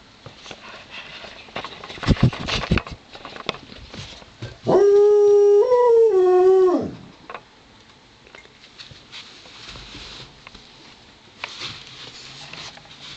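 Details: Amid a wrestling play session between Joplin, a Ridgeback mix, and Romeo the Pomeranian, rustling and thumps give way to a two-second wavering dog howl that rises, dips and swells again before fading; scuffling resumes.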